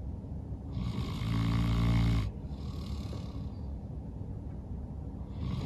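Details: A St. Bernard named Norman snoring loudly while asleep after a long day of playing outside; one long, deep, rattling snore of about a second and a half, then a quieter exhale and a low hum.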